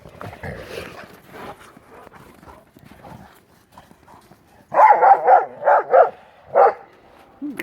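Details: Pit bull mastiff brothers playing with a ball in deep snow during the 2016 Maryland blizzard; after quieter scuffling and snuffling, a burst of five or six loud barks in quick succession, then a single bark, with a man talking.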